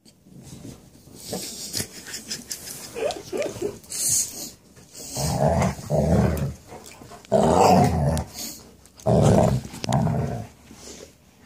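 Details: Two male dogs wrestling indoors over who gets the couch, one very grumbly, with rough low growls and snarls in bursts of one to two seconds, interspersed with shuffling and scuffling sounds.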